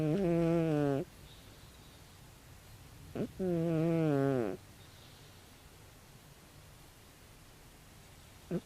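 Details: A 16-year-old calico cat named Tabi snores in deep sleep: two long droning, harmonic snores about three seconds apart, each slightly falling in pitch, with short soft breath sounds between them in a quiet room.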